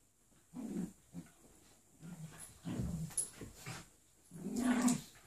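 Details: Playful golden retriever puppy tussling with a Jack Russell cross: three short bursts of low, throaty growling separated by brief pauses, the last one louder and longer.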